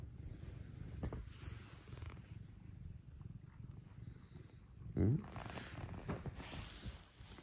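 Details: Pet cats (Scottish folds and a British shorthair) arriving in the early morning to rouse their owner purr in a continuous low drone, with quiet human speech and a short bump midway.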